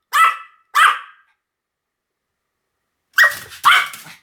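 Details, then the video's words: Two crisp, high yaps from a Pomeranian, then a pause of about two seconds, then two more harsher barks close together. "犬の鳴き声 ポメラニアン 1000回吠え"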